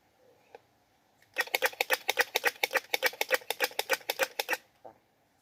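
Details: A squirrel seeking a mate gives a rapid burst of harsh, dry chuck notes, about six a second for three seconds, each a sharp broadband click, then falls silent apart from one soft note.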